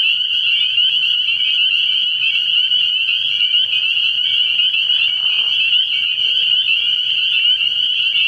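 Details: Many spring peepers calling at night from a frog pond early in the year, their sharp high peeps merging into an unbroken, ringing chorus; a short soft lower sound appears near the fifth second.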